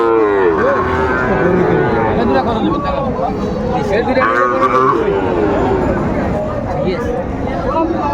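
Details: Sahiwal bull calves at a cattle market serving Dhaka farmers, Bangladesh, 30 August 2024. Drawn-out harmonic lowing rises and falls, with a strong bellow near the middle, over constant crowd chatter and market bustle.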